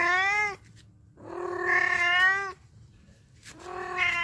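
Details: Pet cat that keeps meowing whenever humans are near: three drawn-out harmonic meows, the middle one longest and slightly rising, separated by brief quiet gaps in an indoor setting.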